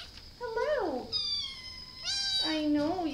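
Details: Domestic cat giving repeated drawn-out meows, the first falling in pitch, the next held steady and bright, the last starting high and sliding down into a long wavering tail.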